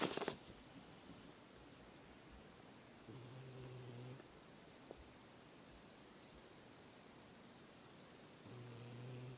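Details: Sleeping cat snoring: two low, buzzy droning breaths with stacked overtones, each lasting about a second and spaced roughly five seconds apart, over a quiet indoor hiss, with a short burst of noise at the very start.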